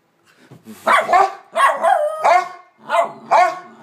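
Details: Two pet dogs bark in a loud, energetic series, five sharp harsh barks spaced roughly half a second to a second apart with no other sounds around them.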